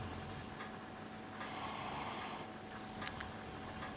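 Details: Pet dog Piran asleep on his bed, May 2013, gives one drawn-out hoarse snore lasting about a second, low and breathy, with two tiny clicks afterward and a constant thin hum in the background.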